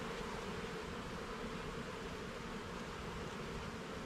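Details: Honey bees droning steadily at an open hive during a garden hive inspection; a dense, even buzzing hum holds without a break, with no talking.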